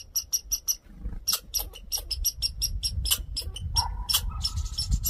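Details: Red squirrel, a male, making a fuss while insisting on attention: a dense run of sharp clicking chucks that speeds into a rapid rattling chatter, with faint low rumble behind it.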